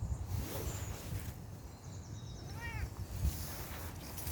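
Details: Outside on a walk, a Bengal kitten utters one brief, slightly downward-curving meow after a stretch of steady low outdoor rumble, with faint high chirping earlier.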